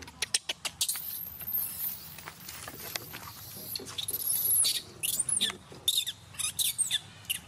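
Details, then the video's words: Vixen, a monkey living in natural habitat around Angkor Wat, crying angrily: shrill, high squeals that sweep up and down in pitch, in short bursts, after a run of sharp clicks and taps. "Why Vixen cry angry without reason and no mistake like this?"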